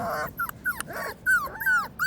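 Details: Black-and-tan Korean Jindo female puppy raised under a surrogate mother; repeated piercing whimpers, short arching whines rising then falling, about four in two seconds, with a person's voice calling nearby.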